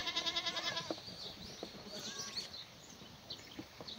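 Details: Black goats on a free-range, antibiotic-free farm at the foot of Mucheoksan in Sangdong-myeon, Gimhae, South Gyeongsang, Korea. Recorded on a clear Tuesday morning, 28 May 2019, during the morning feeding of strawberry branches and leaves. A quavering, pulsed bleat opens the clip, followed by chirping birds.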